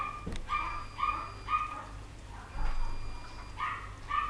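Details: High-pitched squealing yips from poodle pups, 2012: short tonal cries repeated roughly every half second, a pause midway, then more squeals, with low background rumble throughout.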